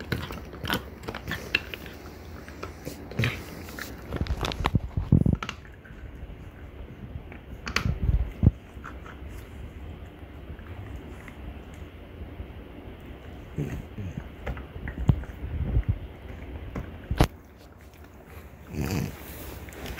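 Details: Mother and daughter French Bulldogs, Ume and Roku, both female, crunching on deer antler in loud clustered bursts of grinding and cracking, separated by quieter stretches with only faint low background hum.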